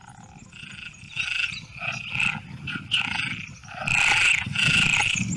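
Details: Perez's frog (Pelophylax perezi), the common frog of the Tres Cantos area near Madrid, Spain, which tolerates degraded habitats such as urban ponds, gives harsh, rattling croaks in quick bursts that grow louder toward the end.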